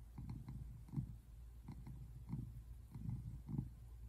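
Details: Close purring from a tabby American Shorthair cat resting on the couch, February 8, 2024: a deep buzzing rumble pulsing in quick, even beats with slight rasp on the louder pulses.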